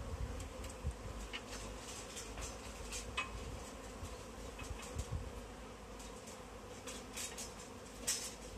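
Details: A swarm of honey bees clustered in a tree while it is caught in a bag; a continuous buzzing drone holds steady the whole time, broken by frequent crisp taps and handling noises over a deep rumble.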